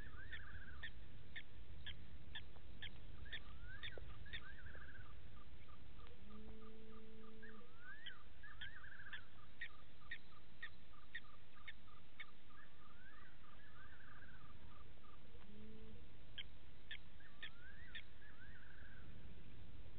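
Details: At 02:27 at night on 15 September 2018, at Gowrie dam waterhole in Djuma Game Reserve, Sabi Sand, South Africa, a side-striped jackal gives two low, hollow, owl-like hoots over clicking insects and frogs.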